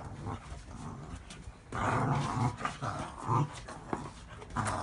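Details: A Cavalier King Charles Spaniel gives low, rumbling growls in short bursts indoors during play.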